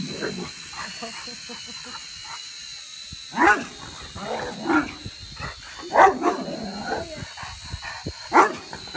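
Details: Rottweiler barking excitedly at a toy drone flying into his space; a few sharp barks near three and a half, six and eight and a half seconds, with a steady high whine of drone rotors throughout and softer sounds in between.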